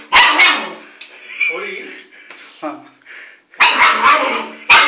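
A German Shepherd puppy gives sharp, high, raspy barks, with a person talking quietly between them.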